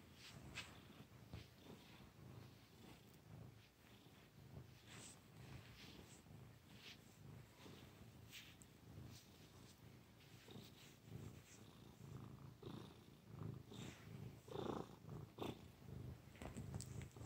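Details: Continuous low purr from the cat Missy, a soft rumble that rises and falls about every second or so, with occasional brief clicks and rustles over it.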